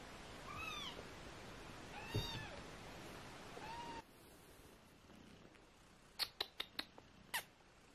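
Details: Eighteen-day-old British Shorthair kittens from a litter of four mew three times, thin high arching cries a second or so apart, followed by a quiet pause and a burst of sharp clicking taps.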